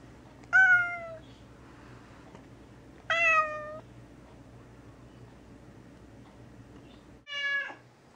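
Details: Vocal gray tabby Mouse calls from indoor confinement in a bathroom, kept there a few days on medication while unwell; three separate meows spaced roughly two to four seconds apart, clear and harmonic, the last shorter and sharper.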